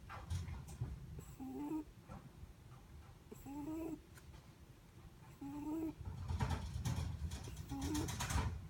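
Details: Netherland Dwarf rabbit snoring in its sleep: soft, squeaky nasal whistles that bend slightly upward, recurring about every two seconds, over low rumbling background and a burst of rustling near the end.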